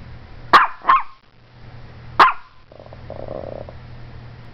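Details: Strudel the Morkie barks like crazy at the camera, giving a quick double bark followed by a single sharp bark, then a low drone and faint hum.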